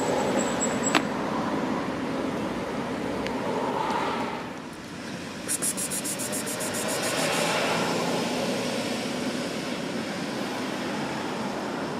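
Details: Steady outdoor urban rumble of traffic with a vehicle passing, a short high beeping pulse train near the middle and faint distant voices, with no animal calls.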